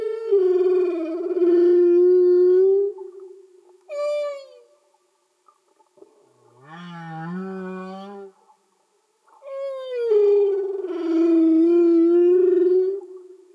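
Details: Singing humpback whales recorded underwater: long moaning tonal units around a low steady pitch, broken by a short high rising whoop and a lower wavering groan, with brief silences between phrases.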